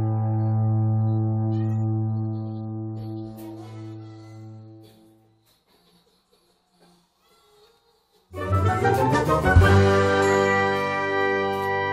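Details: Brass and piano music fades into a few seconds of silence, then loud music resumes, with no animal voices.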